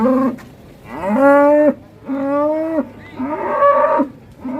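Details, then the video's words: Ploughing cattle in Indonesia, rampaging hard enough to break the iron: a series of loud, nasal moos, each about half a second long, rising at the start and then holding steady, with short pauses between calls. "SAPI NGAMUK MBAJAK SAMPE JEBOL BESINYA"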